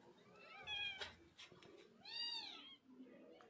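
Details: A mother cat carrying her kittens away from a home shelter, five kittens in all: two soft, arching meows with rich harmonics about a second apart, quiet indoor room with faint background noise.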